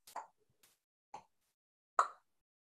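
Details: A striped marsh frog, a large ground-dwelling frog often found in gardens, gives short, hollow 'tok' notes, each a quick pop spaced about a second apart; an unusual call likened to a clucking chicken.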